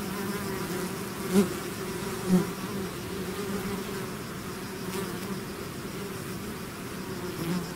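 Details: Bees swarming out of the hive make a continuous low buzz, with two louder close fly-bys early on standing out above the constant hum of the mass.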